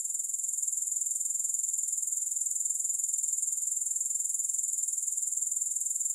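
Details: Unbroken shrill grasshopper trill, very high and evenly pulsed, a constant metallic hiss-like buzz with no other sounds.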